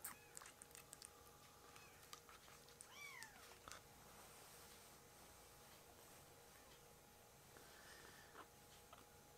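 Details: Foster kittens Ashiro and Akuro, rescued baby cats in indoor foster care, begging for milk: one short, high, arching meow with a rising then falling pitch, amid faint wet chewing and suckling clicks in a quiet room.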